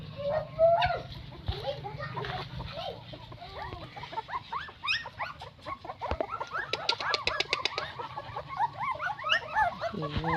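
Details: Nine newborn puppies squeal and whine continuously. Their many short, high, wavering squeaks pile up into a dense chorus that grows busier toward the end, over a low background hum.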